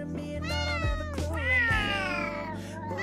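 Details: Pet cats, a male and a female rescued as kittens, meowing noisily at home in a mountain village in Japan during Golden Week; a drawn-out wavering meow rises then falls, over background music and a man's voice.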